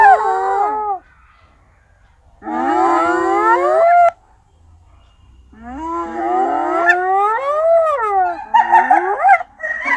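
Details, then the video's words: Rising whoop-like calls from a hyena, sweeping upward in pitch over one to two seconds, delivered in three bouts separated by quiet gaps, the last bout ending in a cluster of shorter, wavering yelps. "Hyena barking, whooping, laughing, howling, and making noises"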